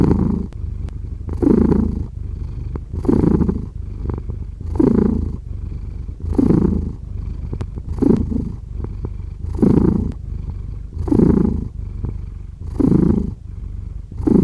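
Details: Steady purring from a cat, the deep vibrating rumble rising in clear bursts roughly every one and a half seconds as the animal breathes in and out, otherwise quiet background.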